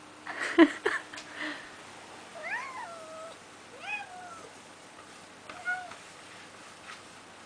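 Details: Pet cat seeing snow for the first time and wanting to go outside: a rustle and thump, then three drawn-out rising-falling meows about one and a half seconds apart, the last one fainter, in a quiet indoor room.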